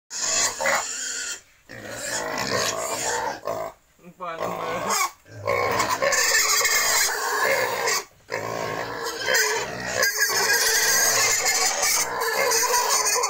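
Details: Pigs at a wild and domestic pig breeding farm in Cambodia, loud broadband squealing and grunting in repeated bursts broken by short silent gaps, with people talking nearby.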